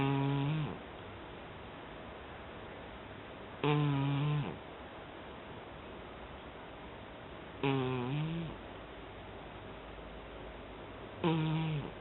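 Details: Deep in sleep, a cat snores rhythmically, with four low, droning, harmonic breaths spaced roughly every three and a half to four seconds, each ending in a slight downward slide. The room is otherwise quiet.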